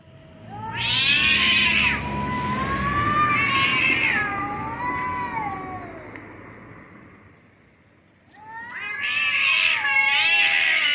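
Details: Two cats making funny noises: a loud wavering yowl followed by a long low moaning tone that slides and fades, a quiet gap, then another strong harmonic wail at the end.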